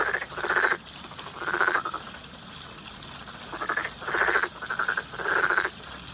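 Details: Spring frog chorus heard as harsh, pulsed croaks in paired bursts, a pause of about two seconds between groups, each croak about half a second long.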